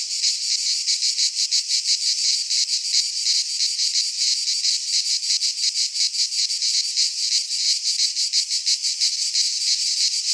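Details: Chorus of cicadas in a pine forest in Greece during midsummer, a steady shrill buzzing pulsed in quick regular beats, roughly three per second, with nothing else audible.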